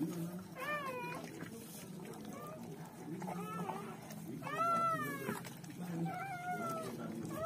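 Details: Newborn German Shepherd pups squealing at birth: several separate short whines spaced a second or so apart, each bending up then down, the loudest near the middle, with low music running beneath.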